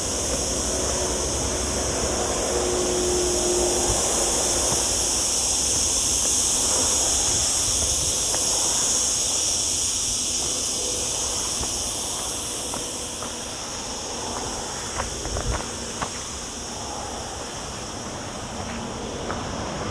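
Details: Continuous shrill buzzing of cicadas fills a hot, cloudy day among olive groves in the lower Sierra Llana near a town, taken with camera audio; the high drone holds steady, then thins slightly near the end amid soft footsteps.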